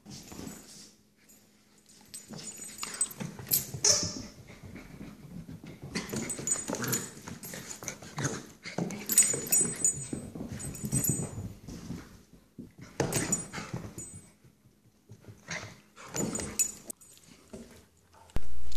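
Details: Puppy Scarlett at play with her inseparable older companion Rhett, who is teaching her how to be a dog: irregular bursts of rough, low growly play noises and scuffling, rising and falling over about nineteen seconds with short quiet gaps.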